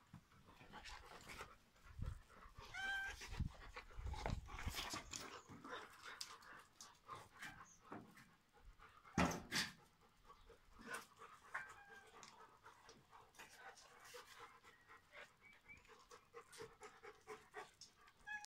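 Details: Two Rhodesian Ridgebacks playing together, heard as quick breathy panting bursts that come irregularly, with some louder scuffling thumps and short squeaky sounds mixed in.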